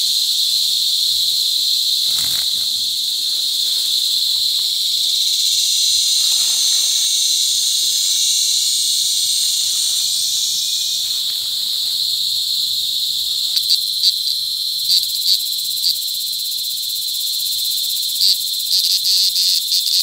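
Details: Loud mating calls of cicadas at close range, La Carlota City, Negros Occidental, on July 18, 2020, during cicada season: an intense continuous high buzz, swelling midway, later giving way to short stuttering pulses near the end.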